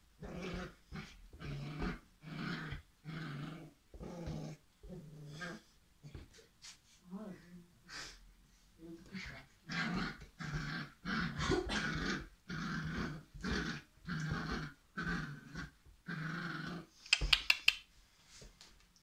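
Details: Irish setter puppies playing, giving a long series of short, choppy growls and huffs in quick rhythm, with a pause midway, a few faint voices, and a sharp clattering noise near the end.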